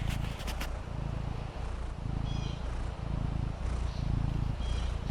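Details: Maine Coon kitten named Fendi lying at ease on the patio, purring in a strong, throbbing low drone with regular pulses, faint high twittering chirps now and then in the distance.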